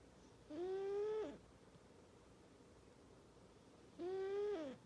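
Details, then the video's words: Panda Bear, a male cat, snoring very loudly in his sleep without waking his best friend Jax: two drawn-out, tonal, slightly rising whining snores about three and a half seconds apart, each under a second long, in a quiet room. "Panda Bear Snoring (Snoring Cat)"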